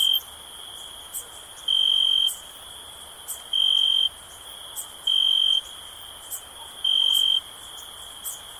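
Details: Night-time cricket sound for sleep, recorded on a summer night: piercing steady-pitched chirps lasting about half a second, returning roughly every 1.7 seconds, separated by soft hiss and occasional faint high ticks.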